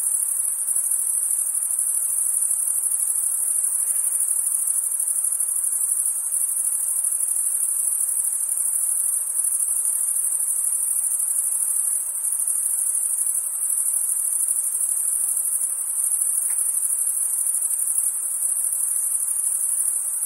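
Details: Crickets chirping on a summer night, a dense, unbroken high-pitched shimmering trill that holds steady throughout, with a faint soft hiss of other night insects beneath and no other clear sounds.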